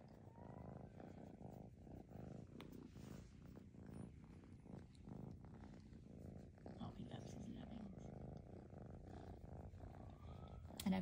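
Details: Nearly 12-week-old cream male Maine Coon kitten in SE Michigan, purring as a steady low rumble throughout while a woman talks over it, with a brief click near the end.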